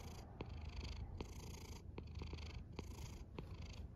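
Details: A cat snores in a steady rhythm, a low droning rumble with airy bursts of breath repeating about every second and small clicks on some breaths.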